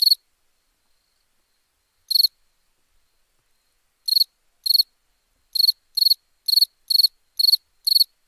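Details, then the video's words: Night cricket giving sparse chirps at first, with long silences, then a quicker run of evenly spaced pulsed chirps about two per second toward the end; each chirp is bright and high-pitched. "Relaxing Chirping Crickets for Sleep Therapy, Meditation and Study"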